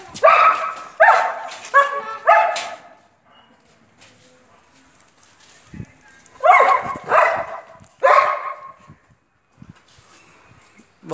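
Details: Long-coated German Shepherd giving loud, rough barks in two volleys, four rapid barks, then a quiet gap of about three seconds, then three more, with faint background thumps.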